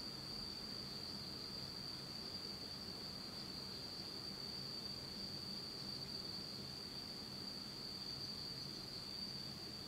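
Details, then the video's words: Fall insects of Japan calling in the dark of night; an even, high-pitched ringing trill runs nonstop, quieter, over a gentle hiss and low hum. "真っ暗闇の秋の虫の声 Beautiful sound of insects in the fall of Japan in total darkness."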